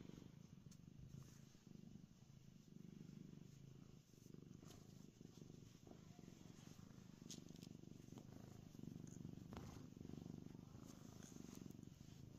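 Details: A contented domestic cat lying happily on a concrete basement floor, purring in a steady low rumble throughout, with a few faint clicks and rustles over a constant background hiss.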